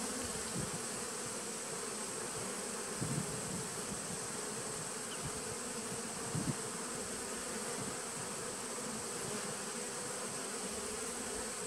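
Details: Continuous low hum of honey bees in a 2017 nucleus colony, captured 19 September 2018. The drone is even and unbroken, with two short louder buzzes standing out in the middle.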